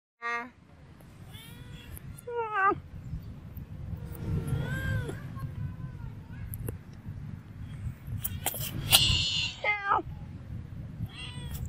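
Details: Female cat named Bopha in Siem Reap, Cambodia, walking and following the camera, gives several drawn-out meows, some bending up then down in pitch, spaced over about ten seconds, with a steady low hum and outdoor background noise.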